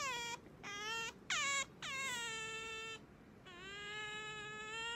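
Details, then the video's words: Pet otter Sakura whining to wake her owner in the morning: clear, steady, harmonic cries, a few short sharp yelps and then longer drawn-out level wails, indoors. "朝は静かに起こしてくれないカワウソ Otter coming to wake me up"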